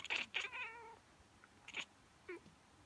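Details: A female cat with a strange reaction to a human sneeze, done every time: two quick chirps run into a drawn-out, falling meow, then a short sharp chirp and a faint, small closing call.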